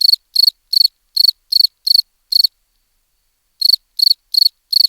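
A cricket chirps in short, high, pulsed bursts, repeated a few times a second.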